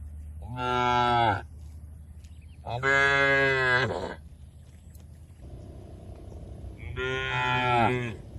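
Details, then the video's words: Cattle, tame, being driven to a large field in the countryside, calling in three loud drawn-out moos, each about a second long and rich in harmonics, with a quieter gap of low murmur between the second and third. "Suara Lucu Sapi"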